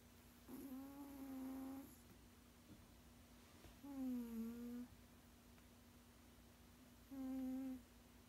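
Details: Sixteen-year-old male cat snoring while asleep indoors: three drawn-out, humming, tonal snores, each about one second long with a slight pitch fall, spaced roughly three seconds apart over a faint steady background hum.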